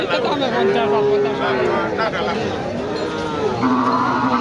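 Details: Bulls and calves at a cattle market in Nandail Chourasta, Mymensingh, Bangladesh; one drawn-out low moo of about a second, then a second shorter lowing call near the end, over a steady murmur of crowd chatter and bargaining voices.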